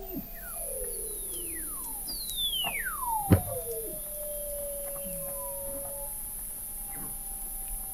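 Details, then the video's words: Antarctic Weddell seals beneath sea ice in McMurdo Sound, recorded November 2017 from 21 m under the ice: eerie sweeping whistles drop steeply from high to mid pitch, one levelling into a long steady tone, plus a loud click and scattered chirps. "Song of the Antarctic Weddell Seal"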